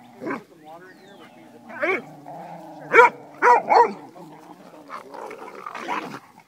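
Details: Two wire-haired fox terriers at play while a lab-hound mix referees; gruff growly barks and yaps in short bursts, about five in seven seconds, over a steady low hum.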